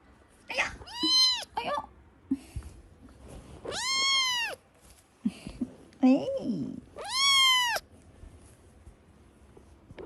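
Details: Kitten meowing indoors: three long arched meows separated by pauses, mixed with shorter chirpy cries and faint handling noises.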